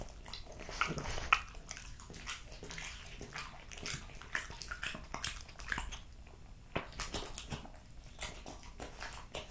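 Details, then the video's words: Eating noises from Jessica, a French Bulldog, over raw lamb cutlets, beef schnitzel and BBQ pulled pork. A louder crunch comes early, followed by a stream of soft wet chomps and clicks. "French Bulldog Eating Raw Lamb Cutlets, Beef Schnitzel & BBQ Pulled Pork"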